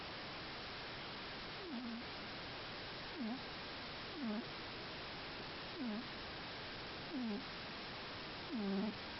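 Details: Scottish Fold cat snoring in deep sleep, soft short snorts roughly every one and a half seconds, each dipping then rising in pitch, the last one louder, over a steady hiss.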